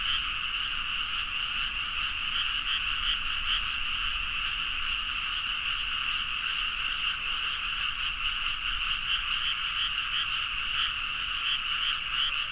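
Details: Frogs in full chorus late at night in rice fields of Nagaoka, Niigata, Japan, recorded with a Zoom H4n: continuous overlapping croaks forming a constant buzzing band, with brighter pulsed calls standing out at intervals.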